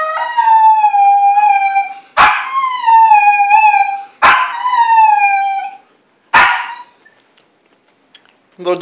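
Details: Little pet dog crying with drawn-out, wavering howls broken by sharp yelps every couple of seconds, then a brief silence and a person's voice at the end.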